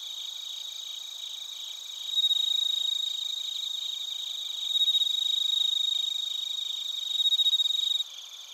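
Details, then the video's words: Crickets at Narita, Chiba, Japan, on a TASCAM Portacapture X8: three loud, bell-like ringing trills of about one second each rise out of a softer continuous insect chorus, the last cutting off abruptly. "スズムシとコオロギの鳴き声 - Chirping of crickets"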